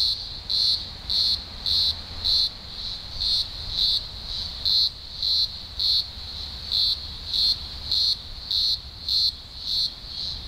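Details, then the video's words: Thousands of green grocer cicadas singing at a large Blue Mountains emergence, Australia, early October 2020; steady shrill buzzing drone pulsing louder about 105 times a minute, overlapping voices giving a slightly uneven rhythm. "Blue Mountains Cicada Chorus"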